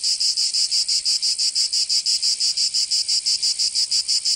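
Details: Cicadas of Provence, southern France, singing in summer: a piercing high buzz chopped into crisp, evenly spaced bursts, about four to five each second, with short dips between them.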